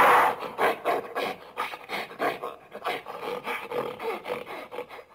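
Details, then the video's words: Gorilla giving a run of rough, breathy panting grunts, roughly three per second. The first is loudest and the rest grow softer and uneven. "Real Gorilla Sound | Sonido de Gorila Real | Vrai Son de Gorille"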